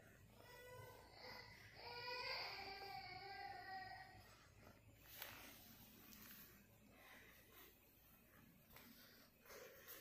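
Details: Cat being pranked with a cucumber and an eggplant indoors, giving one long, drawn-out harmonic meow that swells and then fades over about three seconds, followed by quieter rustling, soft clinks and faint voices in a small room.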